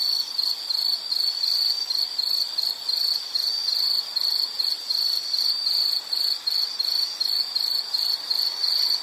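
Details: Continuous insect song for relaxation, a thin high-pitched chirping pulsed about three times per second, steady in volume, with a faint hiss beneath.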